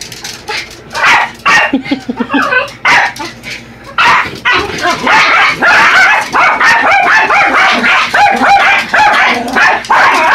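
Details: Two Yorkies, Buddy and Elmo, assaulting an R/C truck: scattered yaps at first, then a sustained stretch of loud, excited high barking and snarly yips over mechanical rattling.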